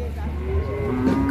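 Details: Furious cow said to have climbed onto a vehicle before Lebaran: a brief, deep, steady lowing moo shifting to a higher tone at the end, with low engine hum underneath.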